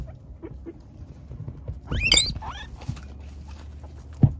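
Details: Male Peruvian guinea pig being fed vegetables to keep still during his first haircut; a brief burst of high, rising-and-falling harmonic squeaks midway, surrounded by soft rustling, light patter and a sharp click near the end.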